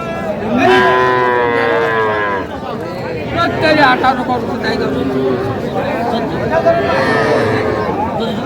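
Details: At a Jamalpur cattle market in Bangladesh, where young bulls and heifer calves are traded, a strong harmonic moo rises early and holds for over a second, followed by fainter lowing amid chattering buyers and sellers.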